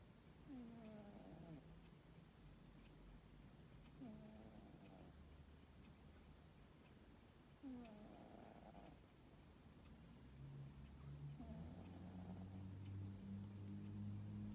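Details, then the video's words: Sleeping tomcat snoring in his high-tower cosy bed on a summer afternoon; slow rhythmic low breaths, roughly every three to four seconds, each opening with a short tonal squeak, low rumble growing toward the end. "Blissful Tomcat has a snore"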